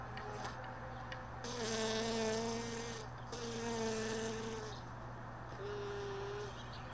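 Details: Honey bees around hive boxes left all day in a truck bed, early morning after most bees had gone overnight; three close passes of droning wingbeat buzz, each swelling for about a second or more, over a constant low mechanical hum.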